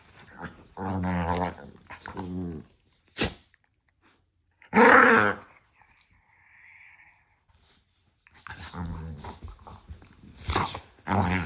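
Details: Two house dogs arguing like a married couple, yapping at each other nose-to-nose with playful love bites; short harmonic growling yaps, a loud burst near five seconds, a quiet pause, then renewed growly yapping.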